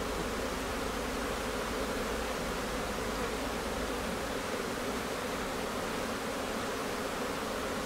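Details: Steady, thick buzzing from a honey bee colony preparing to swarm, recorded in May in Newfoundland as many bees stream in and out of their hive, the drone even and continuous without pause.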